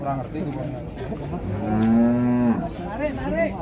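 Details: A single strong, level moo lasting under a second from a Limousin Belgian cow or bull at a crowded show, framed by softer lowing, voices and faint music.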